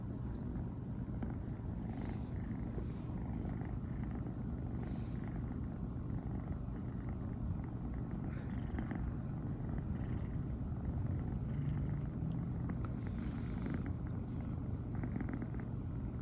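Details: American Shorthair cat, a brown tabby female born in 2020, purring nonstop in the morning after sleeping together with its owner; a steady low rumbling drone fills the recording without pause.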